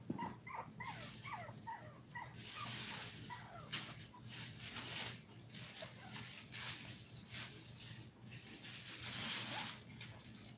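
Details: A litter of seven 5-week-old toy poodle puppies, streamed live indoors, gives high, thin whimpers and squeaky yelps. The cries fall in pitch and come in quick overlapping runs during the first half, followed by shuffling and rustling noises.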